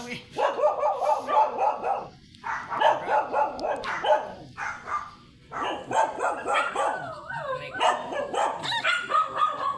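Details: Sanji, a blue-line Shih Tzu, during a sidewalk photo shoot in San Carlos City, Pangasinan, gives rapid high yipping barks in clusters with short pauses, mixed with people talking nearby.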